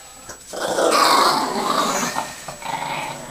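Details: Yoshi, a pet Chihuahua, growls after a bath, showing displeasure at bath time: one steady, nasal, rumbling growl rising to a peak and then tapering, with a faint second swell near the end, indoors.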